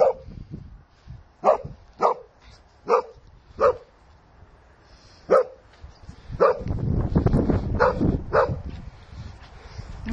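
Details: Playing Sussex Spaniel Shelly, a female, lets out a run of clipped barks roughly every half to one second, five early on and more over later scuffling, handling noise and movement.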